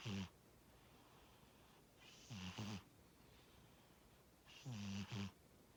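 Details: Sleeping house cat Tora snores steadily, low buzzy rattling breaths with airy hiss arriving about every two and a half seconds, three snores in a row against a hushed indoor background.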